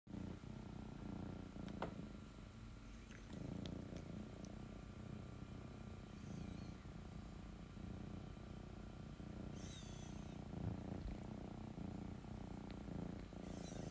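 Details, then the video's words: Domestic cat, female, purring while asking for love and cuddles; a steady low rumbling purr continues throughout with rhythmic pulses, a few faint clicks and rustles in a quiet indoor setting. "Purring Cat Wants Love"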